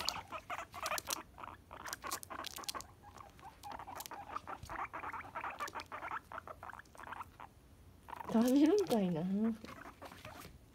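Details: Pet guinea pigs Tink, a lively short-haired female, and Kanon, a gentle long-haired female, interacting at home as one tries to play and the other refuses. Long scuffling and pattering, then a loud wavering, warbling harmonic whine lasting about a second.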